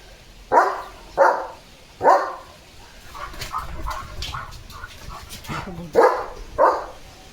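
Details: German Shepherd Leo plays in the monsoon rain, giving three loud barks in quick succession. Quieter yelps follow, then two more loud barks at the end.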